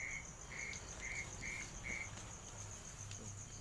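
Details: Frog, locally called kodok popor, heard during a night walk in Indonesia: short, tonal mid-pitched notes repeated about three times per second in a brief run, over a steady high insect hum.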